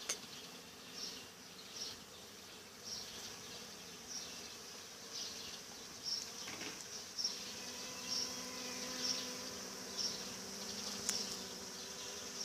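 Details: Honey bees humming quietly, a low steady drone with faint overtones under broadband hiss, with small high clicks recurring about once a second through the recording.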